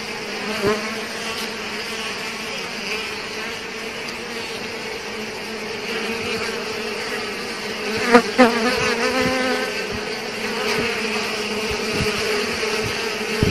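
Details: Swarm of bees attacking a dying Asian hornet, giving a continuous buzzing drone with stacked humming tones, holding steady, with a few sharp knocks and brief louder flurries near the eighth second.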